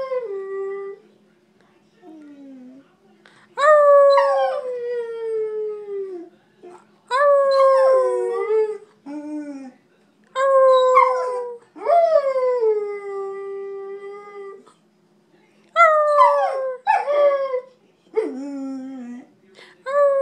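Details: Luna, a pet dog being very talkative, howls away in a series of about six drawn-out wails, each starting high and sliding downward with wavering tone. Quieter whimpers come between them, and a person can be heard repeating "puppy".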